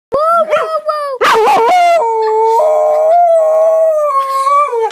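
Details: A Basenji "barroos" for children, a yodel-like, wavering tonal howl rising and falling in short phrases.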